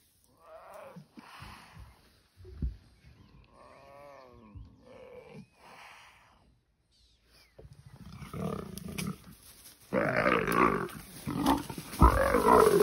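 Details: Male leopard chasing a female leopard up a tree during a fight, near a kill with a hyena present; rough low growls and wavering snarls, then a loud burst of harsh hissing and snarling toward the end, with a voice exclaiming.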